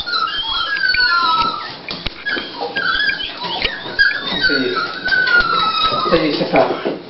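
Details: Dolly, a female Toy Pinscher, at the start of whelping as she prepares to deliver puppies: high, thin whining whimpers with long sliding and wavering tones, some rising then falling, and a person's speech in a small room.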